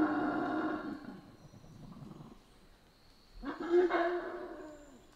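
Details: Howler monkeys in the Central American rainforest: a loud, harmonic-rich roaring howl for about two seconds that fades into rough growling, then a pause and a second surging roar near the end; a faint steady insect-like tone sits high above.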